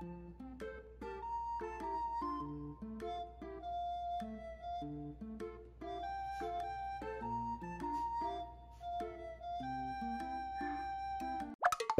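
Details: Gentle background music of flute melody over plucked guitar or ukulele chords, ending with a sudden short clatter.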